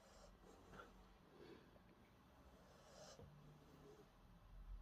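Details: A sleeping female Rottweiler, eyes open and tongue half out, snores with low, rumbling, human-like breaths and soft snorts.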